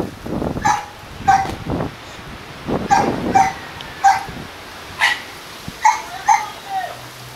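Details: A pair of kennel Dobermann Pinschers in Arnos Vale, St. Vincent and the Grenadines, sending out spaced single and double barks about every half second to second, over a steady hiss of background noise.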